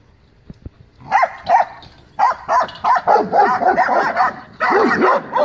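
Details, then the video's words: Great Dane and companion dogs at the yard gate confronting loose invading dogs; excited, overlapping barks come in quick bursts, with higher yelping notes mixed in, growing more continuous toward the end. "My Great Dane And Friends Defends My Yard From Invaders"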